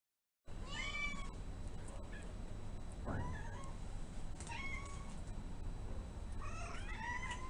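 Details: A shy male Domestic Shorthair cat awaiting adoption at a shelter, newly arrived and settling in, gives several arched, harmonic meows that rise then fall, spaced a few seconds apart, with a low steady hum and faint clicks indoors.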